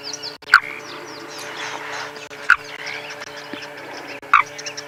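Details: Unseen frog calling from somewhere inside a safari vehicle during a sunrise drive, three short sharp clicking croaks spaced about two seconds apart over a steady low hum, with faint bird chirps in the background.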